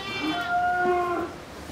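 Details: Pakistani Sahiwal bull, about 24 months old with two teeth, kept in Pabna, Bangladesh, being raised for the 2022 Qurbani; a steady, tonal moo held for about a second, ending in a slight upward bend.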